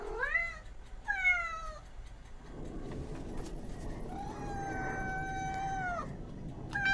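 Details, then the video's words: Cats and kittens: two short falling meows, then a long, steady, drawn-out meow lasting about two seconds, over low rumbling background noise. "Sound of Cats. Sound of Kittens"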